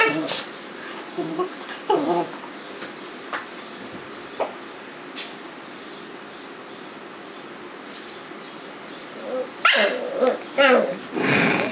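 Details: Two Cavalier King Charles Spaniel puppies play-fighting, rolling around together on a kitchen floor; scattered short yips and rough growly bursts, quieter stretches in between, then a louder scuffling flurry of growls and barks near the end.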